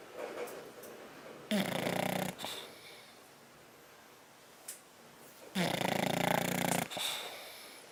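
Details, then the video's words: Napping bulldog on 10/29/12 gives two long, harsh, rattling snores about four seconds apart, each near a second long, separated by quieter wheezy breathing and a faint snort. "Bulldog Snoring"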